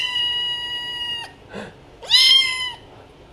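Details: Pet cat meowing twice in a small room: a long, flat, drawn-out meow followed by a brief soft sound, then a louder, arched, rising-and-falling meow with rich overtones.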